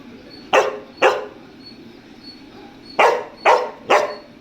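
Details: Pet dog barking insistently to be let into an air-conditioned room; five short, sharp barks in two bursts, two then three, about half a second apart, over a quiet indoor background.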